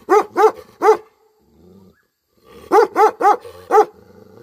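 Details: A Tibetan Mastiff in village Nepal gives deep, resonant barks: three in a quick burst, a short quiet pause with a low growl, then four more close together.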